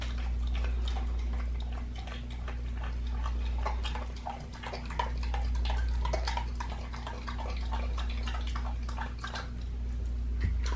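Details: A pit bull chews a raw lamb leg with dense, rapid crunching and tearing clicks, several per second, steady throughout, beneath which runs a continuous low droning hum.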